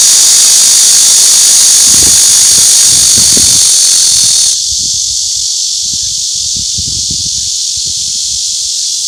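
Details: Cicadas sing a loud, steady, high-pitched buzzing drone that drops abruptly in volume about halfway through, with faint low thumps beneath.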